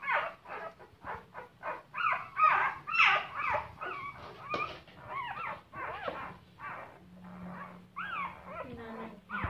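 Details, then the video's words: Crying puppies give a busy mix of short yelps and whimpers, then clearer arched whines that rise and fall, one ending in a long sliding squeal, with a low steady hum in the background. "Crying Puppies"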